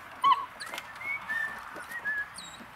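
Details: Playing litter of four eight-week-old puppies, two males and two females; one sharp squeak opens, followed by several thin, high, drawn-out whimpers spaced about half a second apart over faint room noise.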